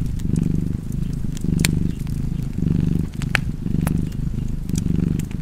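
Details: Deep, rhythmic purring from a cat, low throbbing bursts alternating with slightly softer gaps about once a second, while a fireplace crackles and pops in the background.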